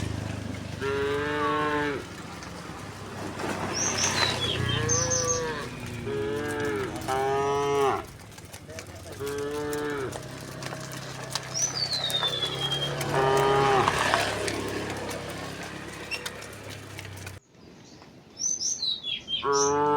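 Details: Village cows walking in a herd to the rice fields, mooing often: many overlapping harmonic moos of one to two seconds, some rising, amid hoof noise, a low rumble and scattered bird whistles.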